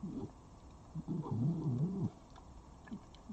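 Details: A wild red fox at a garden feeder in Dublin, Ireland, on 13 October 2021 gives a low, wavering, throaty whine lasting about a second, with a few shorter grunts before and after.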